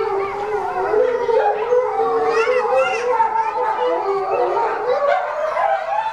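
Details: Chinese wolf pup, a male about a month and a half old at Tennoji Zoo, howling as his excited mother's louder voice almost covers him. Dense tangle of wavering, warbling howls from several throats, unbroken from start to end.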